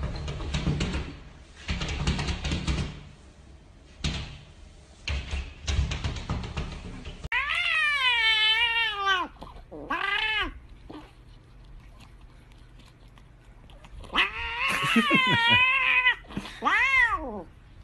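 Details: Domestic cats meow amid indoor noise: about seven seconds of broadband rumble and bustle, then two strained, wavering meows, a pause, and another long falling meow.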